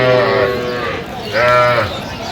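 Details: Cows with calves at the Aftabganj haat cattle market in Dinajpur, 21 January 2026: two drawn-out, harmonic-rich moos about a second apart, set against crowd chatter and price bargaining.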